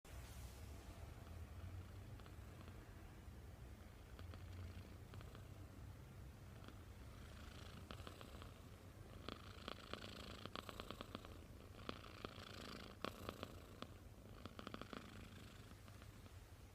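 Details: Sleeping kitten snoring indoors, lying like a person: a quiet, steady low rumble runs throughout, with faint clicking rustles in the second half.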